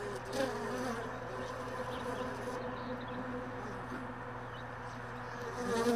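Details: Honey bees lingering early in the morning around hive boxes and extracted supers left all day in a truck bed. A steady, droning buzz with a low hum runs throughout, with a slight rise at the end.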